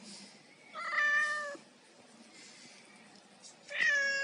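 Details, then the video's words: Domestic cat meowing while eating fish indoors: two clear tonal meows, the first around one second long and falling slightly, the second rising then falling near the end, with faint room noise between. "MÈO ĂN CÁ | CAT EAT FISH"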